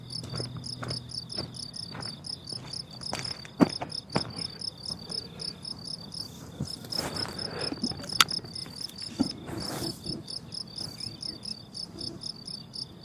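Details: High pulsed chirping of crickets on a blooming summer meadow continues throughout, partly masked by irregular loud clicks, taps and rustling noises scattered across the recording.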